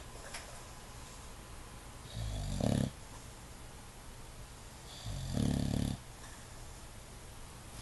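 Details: English Bulldog asleep with eyes open, two low grinding snores roughly three seconds apart, each swelling briefly then cutting off, soft indoor background between.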